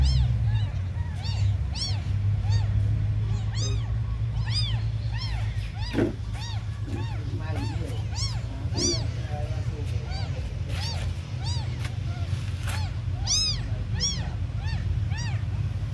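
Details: A litter of very small abandoned kittens crying almost nonstop, many short bright arched mews overlapping, occasional clicks and knocks, deep hum underneath throughout.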